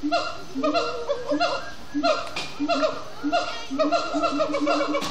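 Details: Siamang gibbons at sundown at Disney's Animal Kingdom, singing and chanting after brief frenetic play; loud harmonic barking hoots with upward and downward swoops, repeated in quick bursts roughly every half second, several voices overlapping.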